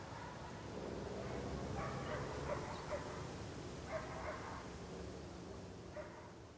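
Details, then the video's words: Muffled dog barks outdoors, a few short barks spaced about two seconds apart, partly buried in broad, even background noise. "Outdoor Ambience Dog Barking"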